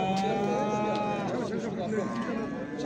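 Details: Cattle at the Sungurlu cattle market in Çorum, Turkey, on 7 December 2023; a long, steady moo that fades out partway through, then market noise with voices and scattered knocks.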